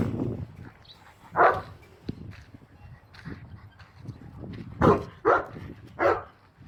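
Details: Boerboel dog at a breeding kennel giving sharp, loud barks: one at about 1.4 seconds, then a quick run of three near the end, each short and broad, over a low murmur of background noise.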